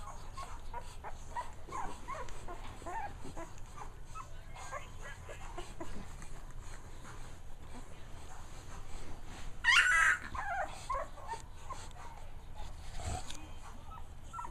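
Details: Manny, a two-week-old puppy lying lazily near its mother, lets out faint, thin, high whimpering squeaks scattered irregularly through the stretch, with a person talking softly and a steady background hiss.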